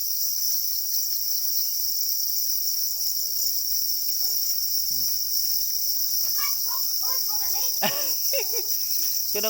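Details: Black crickets, angry while guarding their eggs, sustain a steady piercing high-pitched ringing; scattered short lower chirps and wavering harmonic sounds cluster in the second half.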